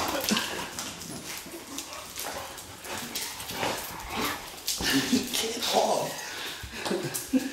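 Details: Persistent female English Bulldog pestering to play indoors, giving short whining yips and grunts in scattered bursts, tightest around the middle, over a man's voice talking and scuffling movement noise.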